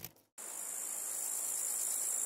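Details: Grasshopper giving a continuous high, hissing buzz that starts abruptly after a short gap and holds steady with a faint fast pulsing throughout, no other sounds.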